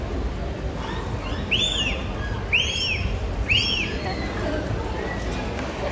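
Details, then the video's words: Captive dolphins at SeaWorld Orlando, vocalizing through the blowhole during a show on 31 October 2024; three arched, rising-then-falling whistles about a second apart over steady crowd and ambient noise. "Now this is where they breathe from, of course, but it's also where they vocalize from, so let's listen in."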